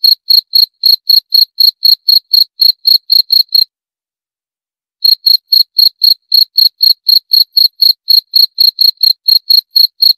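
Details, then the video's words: Cricket chirping in clean, high-pitched pulses, about four per second, each with a faint higher overtone; the chirping stops for roughly a second and a half near the middle, then resumes at the same steady pace. No other sounds. "11 Menit Suara Jangkrik - 11 Minutes Cricket Sound Effect"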